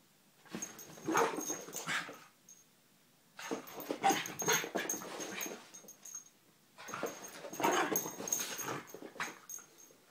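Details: Terriers, three dogs indoors, giving three separate bursts of whining and snuffling vocalising, each lasting about two seconds with quiet gaps between, over a faint steady high background tone.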